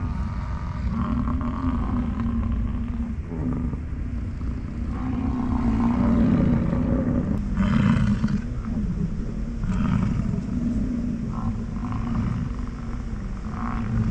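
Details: American bison during the rut near Grand Teton, Jackson Hole and Yellowstone on a morning of chasing, fighting and mating; deep, droning roars swell and overlap, rising in loudness midway, with scattered rustling and thudding noises.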